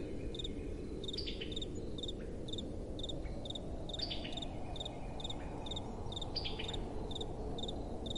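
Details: Crickets at night with soft wind: an even run of high, pulsed chirps roughly every half second, broken by three bursts of quick descending chirps, over a constant low rushing breeze.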